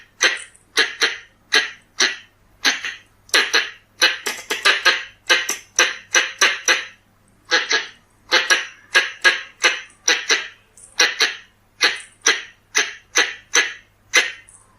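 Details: Pallas's squirrel (red-bellied squirrel) calls used as a hunting lure: harsh, raspy chucks, each a broad noisy burst, repeated about twice a second in a steady series with brief pauses and no other sounds.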